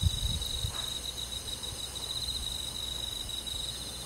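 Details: On a summer night in a rural forest, crickets keep up one steady, unbroken high trill, quiet and even, with a few soft low thumps at the start and little other noise.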